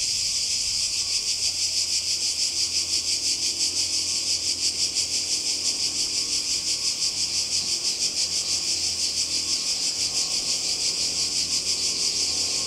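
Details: Cicadas calling by the sea in Croatia, summer 2020: a strident, regularly throbbing buzz at about three pulses a second over a low, steady mechanical hum.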